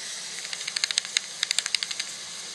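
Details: A bat, recorded 18 August 2019, gives a rapid series of sharp, ticking clicks over a steady background hiss.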